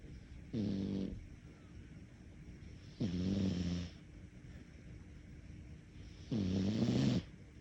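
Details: Cat asleep and snoring, three low rasping snores spaced about three seconds apart, each lasting half a second to a second with a slightly wavering pitch; quiet room otherwise.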